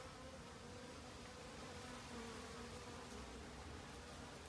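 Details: Honey bees foraging busily in autumn for food to survive the winter; a brief, even droning hum with faint tonal bands that rises a little in strength near the middle, over steady background hiss.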